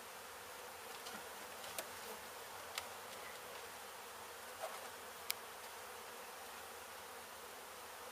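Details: Honey bees from a hive struck by construction crews at an abandoned home being demolished in Mission, Texas, during a rescue and relocation; a steady, dense hum fills the air, broken by occasional sharp clicks and taps.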